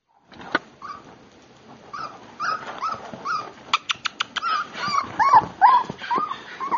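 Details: Miniature Pinscher puppy, offered for sale, giving short high whimpers and yips, with thin wavering tones near the end and scattered clicks and knocks around it.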